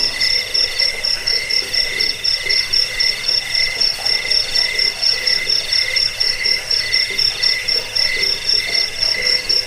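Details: Cricket chorus meant for driving off rats, lulling listeners to sleep and tutoring cage birds: rapid, evenly pulsed high chirps, about four per second, layered over a continuous shrill trill.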